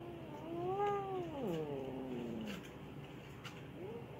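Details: Angry mother cat reacting to having her tail touched, indoors: a long low wavering yowl that swells and bends in pitch over about two and a half seconds, then a brief rising mew near the end.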